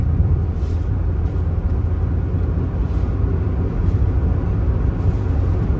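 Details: Steady low engine rumble of road traffic outdoors, with faint passing hiss and no animal voices.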